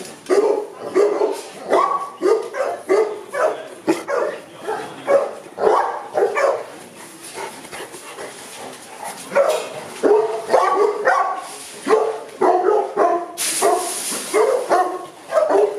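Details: Barking from Boerboels kept at a kennel in Accra: a dense run of harmonic barks, irregular and sometimes overlapping, with a brief hissy noise burst near the end.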